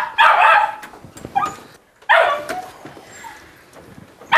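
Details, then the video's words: Maxine, a 1.5-year-old female Jack Russell Terrier indoors, barking excitedly as people leave the house: two loud, high, ragged barks with yelps between, quieter noises of the room behind. "Jack Russell JUMPS, BARKS and NIPS at People Leaving the House"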